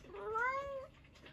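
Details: A domestic cat meowing indoors while its owner talks to it: one drawn-out meow lasting almost a second, rising slightly then falling, with a bright harmonic tone and quiet room background.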